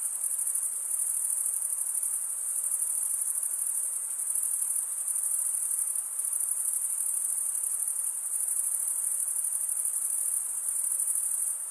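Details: Crickets chirping by stridulation, males rubbing one wing's toothed vein against the other: a steady, dense, high-pitched trill that runs unbroken with an even, shimmering pulse and no other sounds.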